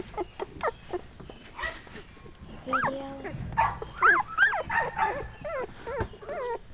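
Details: Shetland Sheepdog (Sheltie) puppies born 6.4.12 give a run of squeaky, rising yelps and whimpers, several pups overlapping, with human voices in the background.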